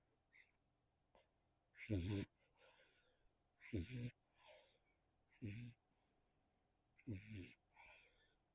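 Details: Nacho, a sleeping kitten, snores into a tiny microphone on a farm in Spain: soft low rumbling snores about every two seconds, each followed by a breathy hissing exhale, in a quiet room.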